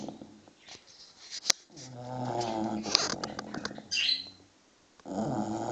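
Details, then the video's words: English bulldog puppy, six months old, snoring in its sleep: a long raspy drawn-out breath, a short silence, then another snore begins, with a sharp bird chirp and faint clicks. "Snoring bulldog (6 months old)"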